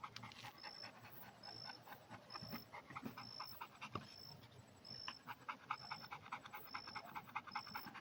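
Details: Red Pit Bull panting steadily in fast, breathy puffs, with a regular high beeping tone repeating about every second in the background.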